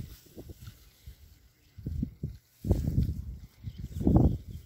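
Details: In their new paddock, Berkshire pigs make a few soft, scattered low grunts, then two louder, rougher bursts of rapid grunting close together near the end.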